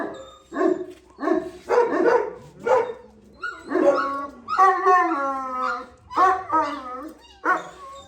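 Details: At a kennel holding a male and a pregnant female Gultair (Gull Terrier): separate loud barks about every half second, some stretched into long, tonal whining howls, with short gaps between bursts.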